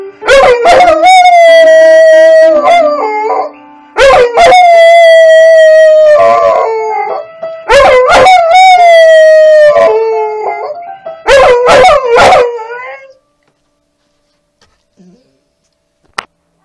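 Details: A dog howls along to the Pirates of the Caribbean theme in long, steady, wavering howls that sag slightly in pitch, with short bursts of music.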